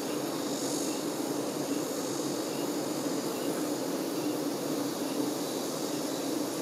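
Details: Honey bee workers looking after the queen make a deep, constant, droning hum that stays level from start to end, with a soft airy hiss in the background.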